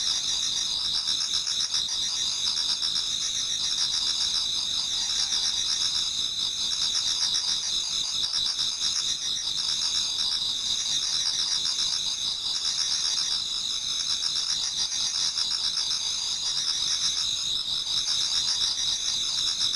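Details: Autumn insect chorus before dawn in a Japanese garden: many singers produce a sustained, high, buzzing trill with quick regular pulsing, plus occasional lower chirps, continuous for the whole stretch.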